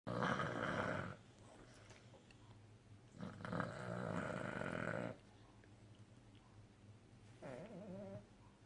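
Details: A sleeping, contented Cavalier King Charles Spaniel snores in long, rumbling, buzzy breaths with quiet pauses between them.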